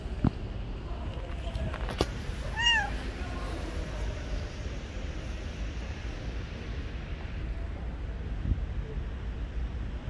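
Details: Stray street cat sheltering under trees from rain gives a single rising-falling meow near the third second, then falls quiet; steady rain and low outdoor rumble fill the background throughout.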